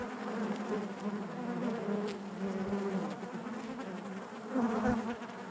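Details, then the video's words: Continuous honey bee buzzing within the hive, a low wavering hum with a louder swell near the end as bees crowd close. "bees therapy hive natural buzzing sound"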